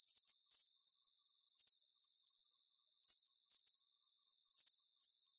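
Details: Nighttime crickets, their chirps high and tinkling, each a fast burst of pulses, repeated in even groups about twice a second over a faint steady hiss, with no birds, voices or music.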